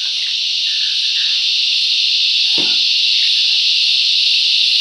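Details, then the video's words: Cicadas filling the bush with loud song: a steady, dense, high-pitched shrill drone held without break, with a brief low thump midway and faint chirps from other insects or birds beneath. "Listen to the cicadas crescendo's and diminuendo's"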